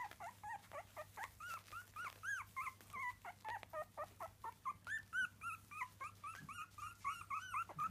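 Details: Several 3-week-old Miniature Dachshund puppies (Canis lupus familiaris) whimper and squeal in a rapid, overlapping chorus of thin, arched cries.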